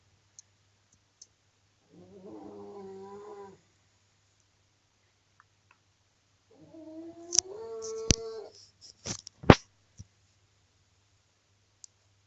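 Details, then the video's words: Snoring pug, very loud: two harmonic, groaning breaths about five seconds apart, the second wavering and ending in a few sharp clicks and snorts, with a faint steady hum underneath. "So laut kann nur ein Mops schnarchen"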